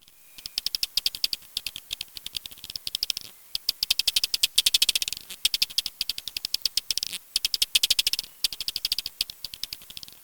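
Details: A common pipistrelle bat's echolocation pulses, shifted to audible frequencies by a bat detector in real time, sound as rapid dry clicks like a fast ticking rattle.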